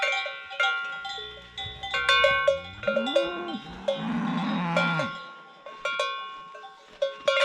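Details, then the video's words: Mountain cows wearing hanging bells, lowing in the mountains; a long, low moo swells and bends downward near the middle while bright cowbells clank repeatedly throughout. "SONIDO de la VACA MUGIENDO | Natural Sonido de la Vaca Montañera"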